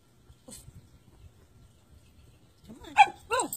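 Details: Siberian Husky being taught basic training commands by its owner: after a quiet stretch with faint murmuring, two sharp, loud harmonic barks ring out close together near the end, the second slightly drawn out.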